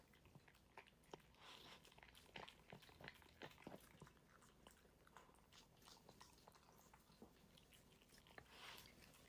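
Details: Dog eating its meal in a small room, unedited: rapid, uneven run of crunching and biting clicks, about three a second, with brief hissy bursts between chews.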